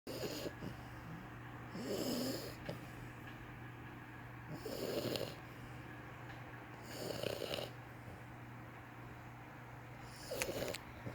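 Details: Sleeping French Bulldog puppy snoring: five raspy, hissing breaths roughly every two to three seconds, each a short rough burst with airy high hiss, separated by quiet pauses over a steady low hum.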